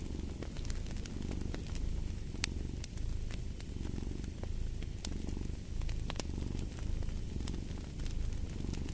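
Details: Rumbling purr from a cat, swelling in regular breath-paced waves, set against steady fire crackling and sizzling pops.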